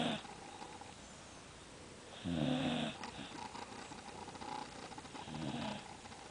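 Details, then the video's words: Worn-out pet dog taking a serious nap after opening Christmas presents, snoring in a rough, rasping rhythm, one loud snore mid-clip and softer ones either side, with a constant background hiss. "Buddy the Dog Snoring"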